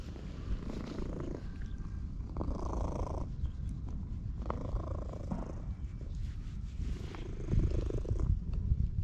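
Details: A park-dwelling stray orange tabby being petted purrs at high volume, captured with a GoPro HERO8: an unbroken deep rumbling purr overlaid by several bursts of brushing, rustling noise from hands moving through fur.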